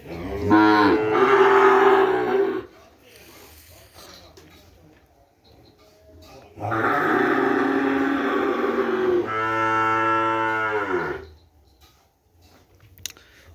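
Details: Madura cattle, kerapan racing-bull stock brought straight from Sapudi Island, kept at a village home. Two long, full harmonic moos: the first lasts about two seconds, the second runs nearly five seconds and sags at its end, with quiet between.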